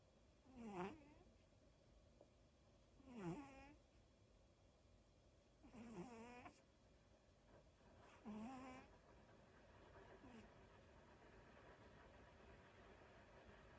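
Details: Daifuku the dog snoring while asleep indoors: four whistling, whiny snores roughly every two and a half seconds, each dipping then rising in pitch with bright overtones, the last ones fading softer against a quiet room hum.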